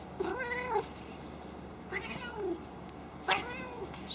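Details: Female domestic cat at play, not angry, making her unusual pig-like snorting noises indoors: three drawn-out, nasal, wavering cries, each dipping then rising, about a second apart, with a quiet room hum behind.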